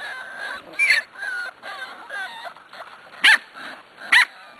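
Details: Weaned six-week-old Corgi puppies that eat dry food and go outside on nice days; thin, wavering whimpers and whines run in a quick string, broken by two sharp, louder yelps near the end.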